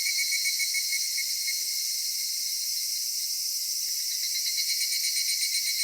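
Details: Cicadas singing on a summer evening in a cedar forest: a dense, continuous shrill buzzing chorus, steady and unbroken throughout, with a pulsing edge and only faint low rustles beneath.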